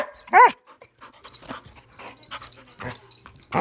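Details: Airedale Terrier at play: one sharp, tonal bark near the start, then softer scattered yips and noises, and another bark at the very end.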